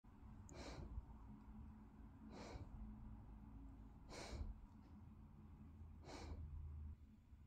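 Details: Olly, a Bernese Mountain Dog, sleeping after his morning trip to the park: four breathy, noisy snores spaced roughly two seconds apart over a low, steady indoor hum.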